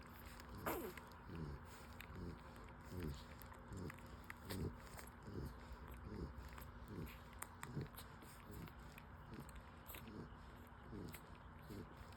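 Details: Newborn full-suit French Bulldog puppies, five days old, breastfeeding: soft, low grunting and suckling sounds that slide downward in pitch, repeated roughly every one and a half seconds, with faint smacking in a quiet indoor setting.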